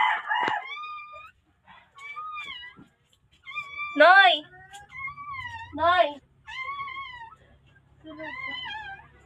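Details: Newborn puppy from the Philippines calling out for help: uneven, high, wavering squeals with gaps between them, two louder strained cries in the middle, and a faint low hum underneath.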